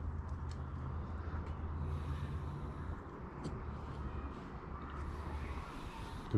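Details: Steady low engine rumble from a vehicle with faint speech in the background and no animal calls.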